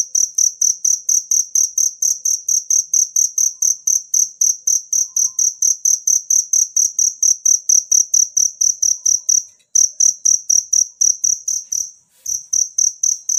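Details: Cricket chirping in nature, meant for tutoring songbirds: a shrill, high ringing trill pulsed rapidly and evenly, about two pulses per second, with two short breaks near the end.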